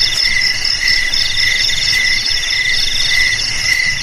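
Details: Several crickets trill at once, with shrill pulsed notes repeating rapidly over a steady lower ringing trill, forming an unbroken insect chorus.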